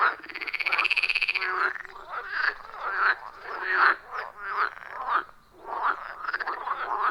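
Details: Forest-pond frog chorus recorded in the wild: one rapid pulsed trill opens, then a string of short overlapping croaks from several frogs repeats roughly once a second.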